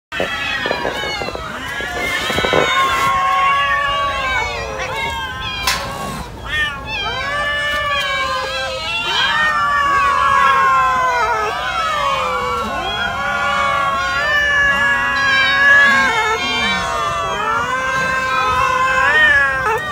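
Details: Many cats eating raw chicken, calling over one another in a dense chorus of overlapping harmonic meows, some rising then falling, others long and wavering, with a few low moaning calls underneath and no pause throughout.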